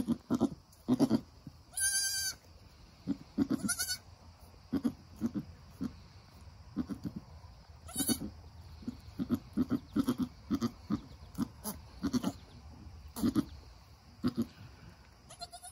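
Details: During the birth of a Nigerian Dwarf doeling, with the mother goat encouraging her newborn: a steady run of short, low, throaty calls, broken twice by loud, high-pitched, strongly harmonic bleats.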